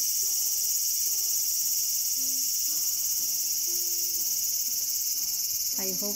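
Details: Cicada drone recorded in a small garden on August 5, 2020: an unbroken piercing high hiss throughout, over quiet stepwise musical notes, with a brief gliding sound at the very end.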